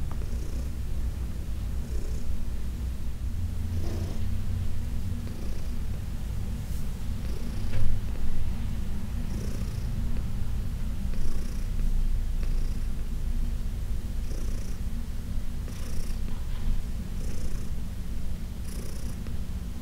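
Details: Purring from Heidi, an elderly adopted house cat, while being massaged in June 2021: a deep, even rumble throughout, rising in breathy waves roughly every second or two, with light rubbing noises over it.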